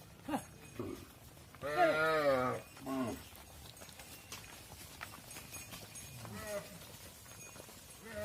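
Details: Farm cattle, with mother cows going into the barn and calves left outside; one loud, drawn-out quavering bawl, then shorter calls follow over low background noise.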